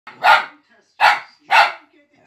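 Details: Boomer, a four-month-old male Fox Terrier puppy, gives three sharp, loud barks, each about a third of a second long and spaced roughly half a second to a second apart, in an otherwise quiet room.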